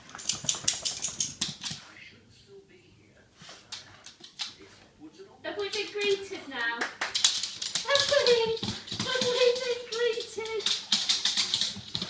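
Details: Excited greeting from an 18-month-old male Soft Coated Wheaten Terrier indoors: after a quiet stretch, a series of drawn-out whimpering whines with clicking and tapping noises and human speech over them.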